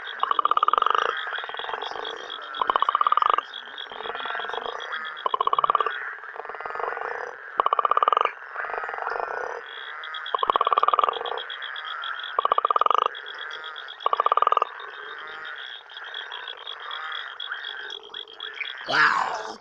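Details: A night chorus of frogs and toads in Uganda: loud pulsed croaks in bursts over a steady high trilling background.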